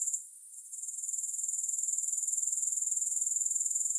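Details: Grasshoppers heard without music, their high buzzing trill faltering briefly at first, then building within a second into a steady run of rapid, regular pulses.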